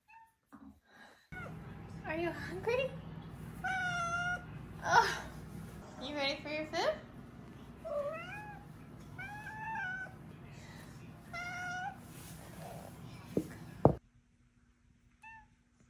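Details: Five-month-old Maine Coon kitten named Tink, indoors near feeding time, gives a run of short rising-falling meows and chirpy trills, some stacked and wavering, over a low steady hum, with a person talking to her softly.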